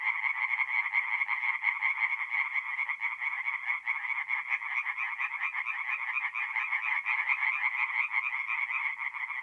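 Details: Tree frogs singing at night at a forest pond in north-east Italy in mid-April: a dense, continuous chorus of rapid pulsed croaks overlapping into a steady rattling buzz, with no other sounds.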